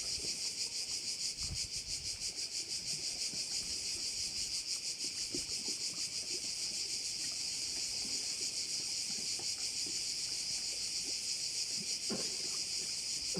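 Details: Cricket chorus at one of the bays of Korčula: a steady, shrill, high-pitched trill pulsing about three times a second without a break, with faint low rumbles and a brief knock near the end.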